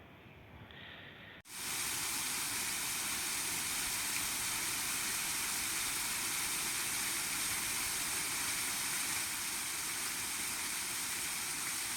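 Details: After a brief quiet start, a loud continuous hiss, like running water or steam, covers everything without any animal sound.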